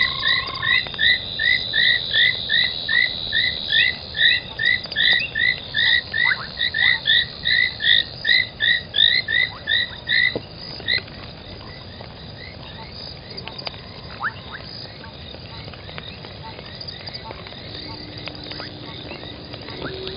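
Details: Frogs at night, 03:40 on 25 January 2021, at an old pan foam nest by Gowrie dam, Djuma Game Reserve, Sabi Sand, South Africa; a rapid series of short clicking chirps repeats for about ten seconds, then fainter scattered calls.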